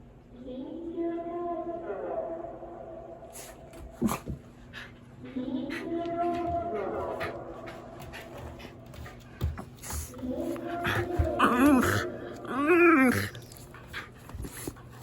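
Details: Shiba Inu named Yuzu whining and moaning in fear as a second emergency warning siren sounds for approaching Typhoon No. 14 in Japan; drawn-out wavering whines in three bouts, the last rising and quavering, over background noise.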